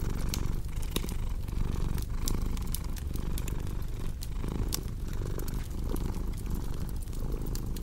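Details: Continuous low rumbling purr of a cat, pulsing gently with its breathing, over frequent bright clicks and pops from a crackling fire in a small room.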